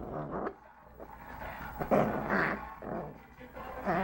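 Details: Angry three-month-old female Lhasa Apso puppy growling and grumbling in a run of rough, throaty bursts roughly every couple of seconds, with louder peaks near the middle and end and a low background hum.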